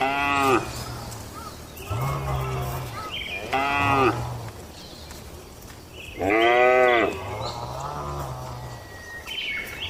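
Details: Tame cattle in a farm barn during their daily routine, eating and gathering: several loud harmonic moos, low steady bellows alternating with higher strained calls, about every two seconds, over a constant background hum.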